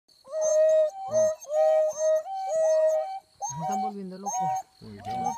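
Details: Wild dogs howling: steady, tonal, harmonic notes sounding about once a second, each held briefly at a level pitch, followed by lower, wavering notes from more than one animal.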